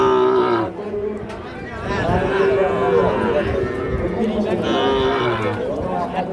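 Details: Lowing from cattle among small bulls and heifer calves at Ambari market, Parbatipur, Dinajpur, on 25/5/26: several long, steady harmonic moos of about a second each, spread over the stretch, half-buried in loud market talk and crowd noise.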